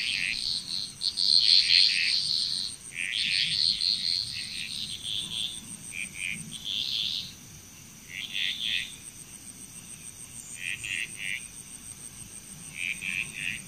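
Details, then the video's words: Frog chorus in Bali, Indonesia: bursts of rapid, high-pitched croaking notes come in overlapping clusters every second or two, over a steady high insect buzz and a faint low rumble. "Frog Chrous Relaxing Nature Sounds of Bali, Indonesia"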